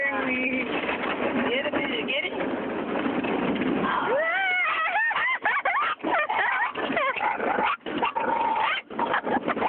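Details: Female pet dog riding in a car through a car wash, reacting excitedly; after a stretch of roaring wash noise and a woman's soothing talk, high rising-and-falling whines and sharp yelps break out in quick bursts over constant spraying water.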